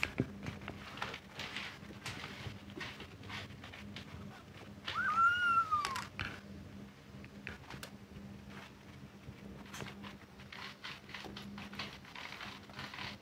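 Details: Kittens at a cattery; a single drawn-out tonal meow near the middle, rising slightly and then falling, over soft rustling, clicks and a low steady hum indoors.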